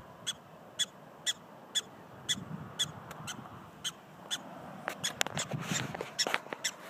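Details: Yipping prairie dogs in South Dakota: crisp high chirps at a steady pace for the first few seconds, then giving way to clattering, rustling noise toward the end.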